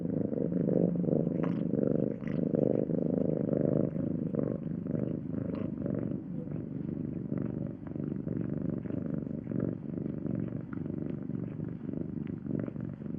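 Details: Domestic house cat purring steadily, a continuous low rumbling throb with fluctuating pulses throughout, no other sounds.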